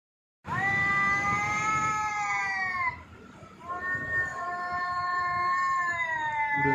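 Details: Jaggu the cat gives two long drawn-out yowls, the first about two and a half seconds, the second about three seconds, each a strong harmonic wail that rises slightly then falls at the end, with a quiet gap between.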